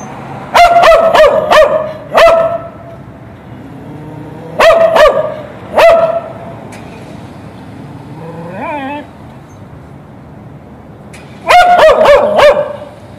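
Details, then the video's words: A dog tied to a fence on the street by its owner, who went into a store, barks while waiting, in clusters of sharp loud barks, three or four at a time, carrying far, with a brief whine between volleys. "Собака лает на улице Dog barks"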